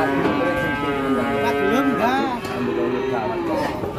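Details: Very large cattle unloaded from a truck and sold straight away, giving long drawn moos with bending, wavering pitch, one swooping up and down near the middle, over steady background music.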